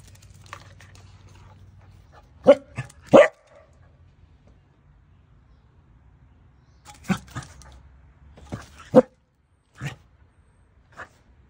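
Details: Domestic dachshund barking while coaxing its owner into play: quick paired barks, then a pause, then another cluster of sharp barks, with a low background hum and faint human voice.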